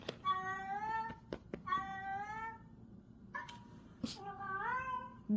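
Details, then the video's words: Domestic cat meowing indoors while being called to come and not responding; four drawn-out, slightly falling meows with a rich harmonic tone, separated by short pauses, and a few soft knocks in a small room. "고양이 부르는 소리"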